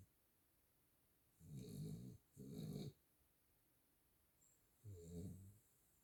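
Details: Miniature Schnauzer. A sleeping miniature schnauzer snores with deep, gravelly breaths, three rough bursts each lasting under a second. Quiet pauses separate the rasping intakes, and no other sounds intrude.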